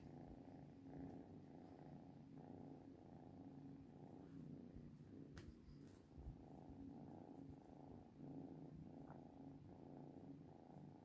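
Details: Pet cat producing a constant, even purr, low and pulsing, with a soft rustle midway.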